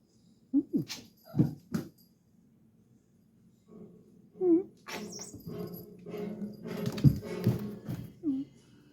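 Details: A domestic cat gives short, rolling chirrup trills that rise and fall in a soft, mid-pitched voice.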